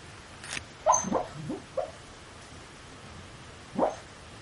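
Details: Dog talking in its sleep, mumbling quietly: a burst of four or five soft, short whimpering grunts in quick succession, then silence and one more brief murmur near the end.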